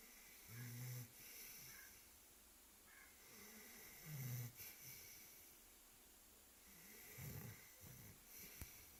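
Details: Labrador Retriever Max snoring in his sleep: three low, throaty snores spaced about three seconds apart, with softer breathing between them in a quiet setting.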